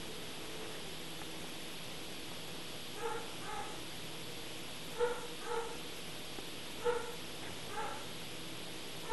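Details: A young Rhodesian Ridgeback yelps while its ears are being taped. Brief paired yips recur about every one to two seconds, each clipped and nasal, against constant low hiss.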